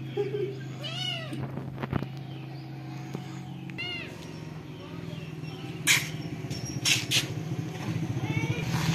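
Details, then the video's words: Domestic cat with kitten: two arched, rising-then-falling meows in the first four seconds, each with rich harmonics, over a steady low engine hum, brief clatter and people talking in the background. "Funny cat and kitten moving sound"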